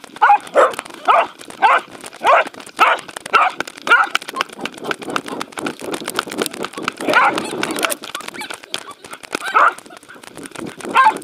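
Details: At a dog run on 11 February 2019, Welsh Corgi Roku chases a Sheltie, Insta360 recording: rapid run of yappy barks for the first four seconds, then running noise and voices, with more barks near the end.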